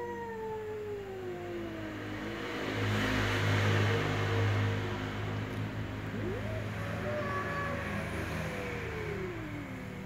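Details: Ginger cat and black cat with slow meows: a faint falling tone opens, a swell of broad rumbling noise passes, then a quieter meow rises and drifts slowly downward, partly masked by low engine-like hum.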